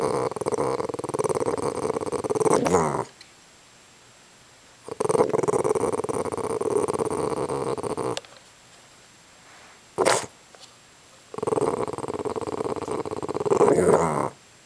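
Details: Angry at bugs, Mozart the dog lets out three long bouts of throaty, vibrating growling, each a few seconds long, separated by quiet gaps with a brief click-like sound between them.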